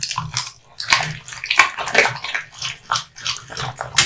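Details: Kotetsu, a male American Bully born 8 August 2016, gnaws hung raw meat and bones indoors: irregular wet crunches and sharp bites every half second or so, with brief quieter pauses between bursts.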